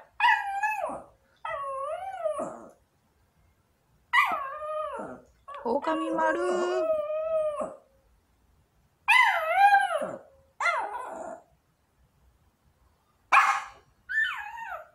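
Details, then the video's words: Long-coat Chihuahua, a small female pet, sits by the front door waiting for the father gone to work and breaks into wolf-like howling: wavering, harmonic howls with bending pitch, some long and some short, in bursts separated by brief silences. "늑대가 된 마루(おおかみになったマル)"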